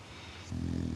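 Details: A sleeping English Bulldog gives a deep, rasping snore that rumbles in low and steady while someone repeatedly calls its name.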